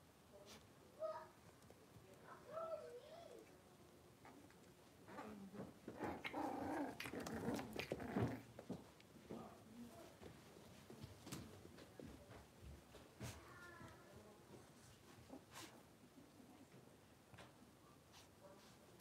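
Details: Five blenheim Cavalier King Charles Spaniel puppies, born on New Year's, moving into a big indoor pen: scattered high squeaky whimpers and yelps, then a louder burst of growly, scuffling play noise midway, with rustling and clatter.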